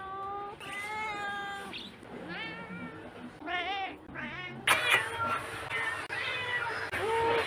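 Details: Pet cat giving several wavering, bending meows, some with a quavering pitch, followed by a burst of noisier background sound as the meows continue more faintly.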